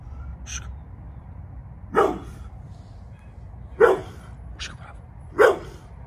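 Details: Bullet, a Pit Bull about to turn 11, barking while guarding the yard; three strong, rough barks spread roughly two seconds apart, with a couple of faint higher sounds between them.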